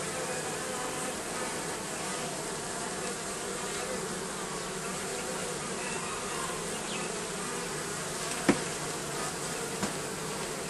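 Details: Constant buzzing of a bee colony under the roofing, a full, unbroken drone of many wings, interrupted near the end by a sharp knock and a fainter tap.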